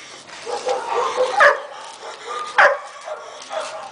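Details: One-year-old Belgian Malinois, a sturdy, manageable young dog noted for an excellent bite, gives two short, sharp barks, one about midway and one shortly after. Lower muffled vocal sounds and background noise fill the gaps.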